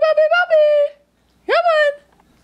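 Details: Indoor litter of Australian Shepherd puppies, 3 weeks 5 days old, at their first mush meal: a sustained, slightly wavering whine trailing downward, a brief pause, then a sharper rising-then-falling whimper.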